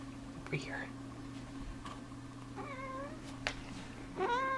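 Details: Female pet cat indoors being given hairball medicine that the vet warned cats really hate; two drawn-out, wavering meows with a short higher cry early on, over a steady low hum and brief human talk.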